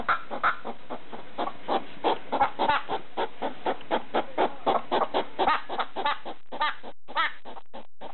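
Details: Pet hedgehog in the middle of the night, barking at a slipper with quick runs of short, chuffing clucks that come close together, then thin out into scattered single pulses at the end.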